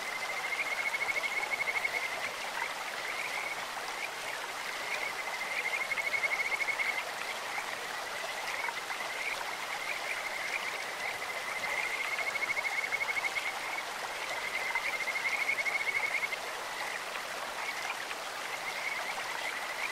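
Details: Repeated Kajika frog trills over a clear stream, each burst of rapid pulsed notes lasting one to two seconds and returning roughly every three to five seconds, against steady rushing water.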